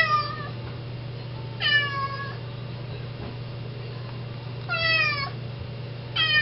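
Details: Indoor cat sitting at the front door, meowing to be let outside to eat grass; drawn-out harmonic meows with falling tails, about three seconds apart, over a steady low hum.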